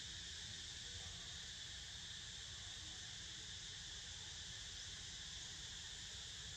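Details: Cicadas buzzing while a pet named Niko snoozes: a steady, unbroken high-pitched drone with layered bands of tone that never pauses across the whole stretch, over a low rumbling background.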